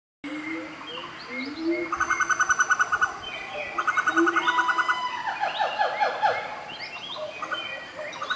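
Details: A Siamang (Symphalangus syndactylus) swinging in trees at Fraser's Hill, Malaysia, on 29 November 2014 calls with loud rhythmic hoots and rapid pulsing notes that rise and fall in pitch.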